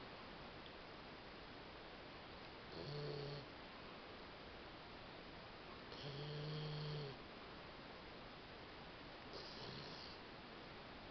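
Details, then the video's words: Mel the female Labrador Retriever, sleeping after a day of play and having nightmares, gives three low, rasping snores spaced about three seconds apart, the middle one longest, over constant faint background hiss. "Mel Roncando"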